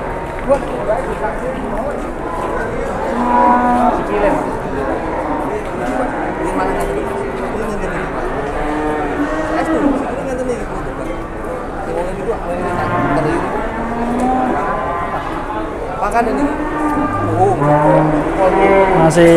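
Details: Cattle lowing at Pasar Jelok market, Boyolali, Indonesia, on the day a giant cow came in: a long, crowded run of moos, many bending up then down, others descending in steps, from several animals amid a market hubbub.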